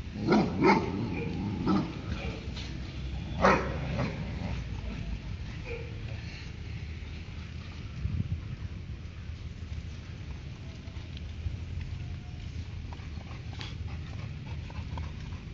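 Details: Labrador Retriever barking at a neighbour's dog while playing: a few loud, harsh barks in the first four seconds, then quieter scuffling and low rumbling noise with occasional faint sounds.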